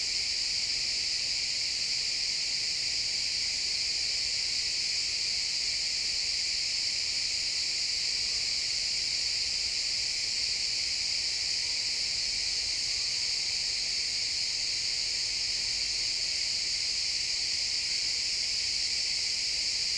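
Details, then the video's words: Recorded in real time in XY stereo in a pine forest at sunset, many crickets chirp together as a constant, bright, high-pitched wash of sound that stays unchanged for the full stretch, with no other clear sounds. "Cricket sounds in the pine forest"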